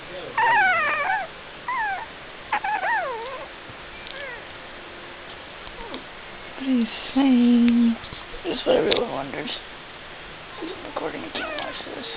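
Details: Two puppies, one brown and one black, making a series of high squeaky whines and yips that swoop up and down in pitch, with a lower steady moan midway and soft indoor background.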